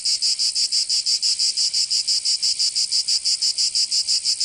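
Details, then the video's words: High, metallic buzzing of cicadas in a southern French summer in Provence, beating in very regular rapid pulses, roughly five each second, clean and steady throughout. "Canto Cigarra 🦗 [ Escuchar les cigarras en verano"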